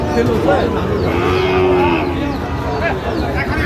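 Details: Sahiwal cattle at a cattle market in Madaripur, Bangladesh, 25/8/25, with Sahiwal calves and bulls for sale; loud, steady lowing moos fill the scene over crowd chatter and men's voices.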